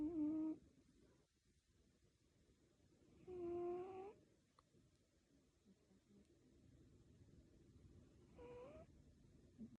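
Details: Sleeping cat snoring with a whistling, nasal tone: three drawn-out breaths, each with a tone that rises slightly, spaced about four seconds apart in a small quiet room.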